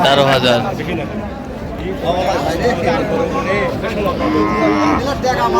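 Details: Cattle, cows with their calves, at the Raniganj market in Dinajpur, 20 October 2025: short lowing moos rise out of a busy din of people talking and haggling nearby.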